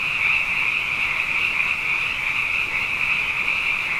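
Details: Brief stretch of a nighttime frog chorus after two wet years: many high, trilling voices blend into one even, buzzing drone with gentle waves of intensity.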